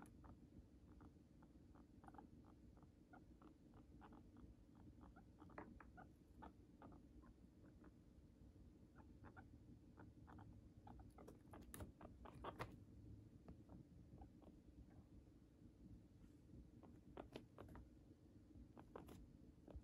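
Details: A pet guinea pig eats Chinese cabbage, chewing crisp leaves and stalk with quick, irregular crunching clicks over a low, steady background hum.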